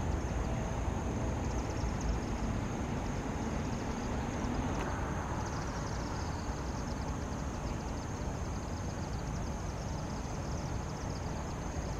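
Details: Steady low rumble like distant traffic or wind, with a thin high hiss throughout; no clear animal calls stand out.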